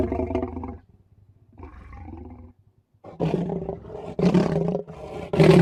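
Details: Two leopards growling: deep, rasping growls with layered low harmonics, a short opening growl and a quieter rumble, then louder, harsher snarling bursts building toward the end.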